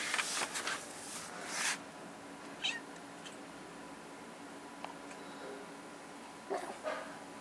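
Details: Dookie, a kitten frightened by the air conditioner, lets out brief, thin meows between loud rustling bursts at the start and end, with a constant mechanical hum underneath.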